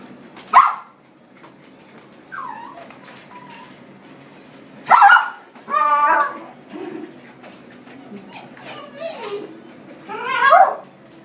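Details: Male apricot toy poodle born in 2016, giving scattered sharp barks and yips with whiny, wavering whimpers in between, a few loud bursts over eleven seconds in a quiet room.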